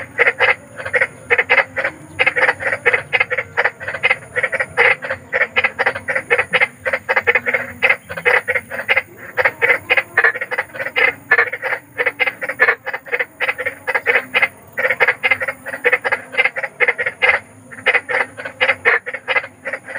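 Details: Night chorus of big frogs: dense, steady trains of short rasping croaks, many per second, overlapping callers, a quiet background otherwise, offered as bedtime sleep therapy for fussy children.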